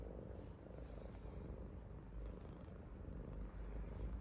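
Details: A contented purr from Hongeo, a yellow Korean Shorthair house cat. The deep, continuous rumbling purr is in a happy mood and swells slightly in loudness toward the end. Nothing else is clearly heard.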